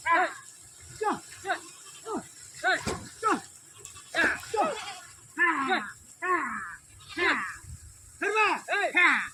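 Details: Several sheep being bathed give a string of short wavering bleats, rising then falling, coming about once a second, with people shouting and talking among them.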